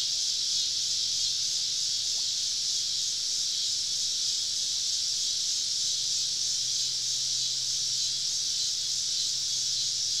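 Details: Summer evening cicada chorus recorded while camping deep in southern woods, cicadas all around: a dense, unbroken high-pitched hiss-like drone holding steady throughout, with no clear pauses or other voices.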